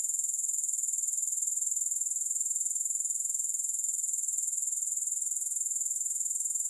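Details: Unbroken, thin, piercing trill of grasshoppers, steady and evenly pulsed at about four pulses each second, with no music or other sounds.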